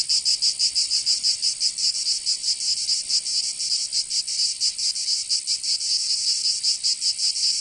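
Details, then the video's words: Cicadas singing in summer in Provence, southern France: a dense, loud, high buzzing chorus, pulsing rapidly and steadily with slight swells, several insects overlapping, no other sounds. "Canto Cigarra 🦗 [ Escuchar les cigarras en verano 10 H]"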